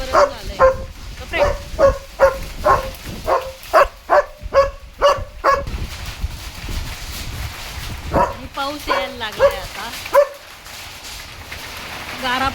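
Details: German Shepherd dog barking at strong storm winds as rain and hail begin; a rapid run of sharp, harmonic barks, about ten in six seconds, then a few more after a pause, with a person talking and wind gusts.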